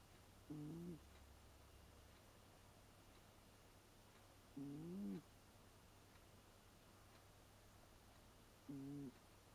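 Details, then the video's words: Leo, an eight-year-old American Shorthair cat, snores with a moaning "uun-uun" sound rather than a grunting one: three low, wavering, droning snores, roughly every four seconds, over a faint steady hum. "いびきウーンウーン猫HD Snoring of the cat 2"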